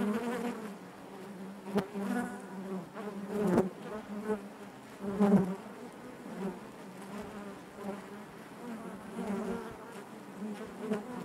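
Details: Honey bees buzzing inside their hive: a dense, steady hum centred low with stacked overtones, swelling and fading, with louder individual wingbeat passes at about 2, 3.5 and 5 seconds.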